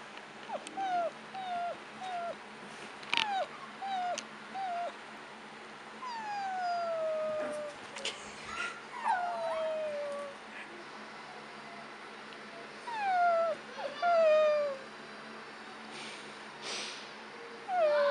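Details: Two-month-old Chihuahua puppy giving high, falling whines and whimpers, singly and in short bursts every second or two, with some louder drawn-out cries; quiet room background.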